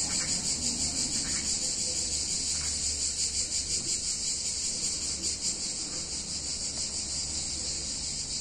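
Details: Cicadas singing on a hot summer day in a picturesque Italian town: a dense, high, shimmering buzz that throbs steadily without pause, with a low background hum underneath.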